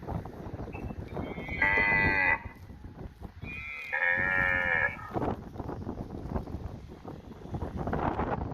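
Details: Cow roaming and grazing in a field: two loud, drawn-out harmonic calls of about a second each, with a brief higher note just before the first, over a constant rustling, crunching background.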